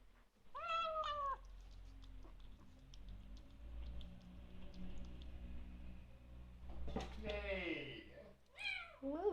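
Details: Bengal kitten making appreciative noises while eating dinner: a short harmonic meow at the start, a long stretch of low rumbling murmur, then two bent, wavering meows near the end, with a woman's voice speaking softly.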